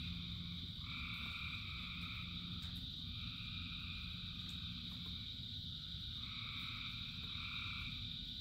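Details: Thousands of frogs singing during rain: layered droning and trilling chorus waves starting and stopping every few seconds above a steady high whine, with heavy low rain noise and a faint sustained hum early on.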